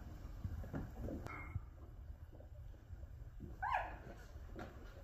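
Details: Two-week-old black Labrador puppies, Hunny's winter 2023 litter, Colorado, USA, eyes just opening and learning to crawl; a short faint squeak early on, then a single thin wavering whimper near the end over a low steady hum.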